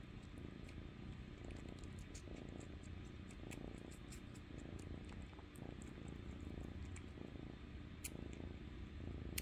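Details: Foster kitten purring while it crawls up onto a person and sucks its toe beans like a thumb; a soft, steady low rumble runs throughout, with faint clicks and small sucking sounds from a small indoor room.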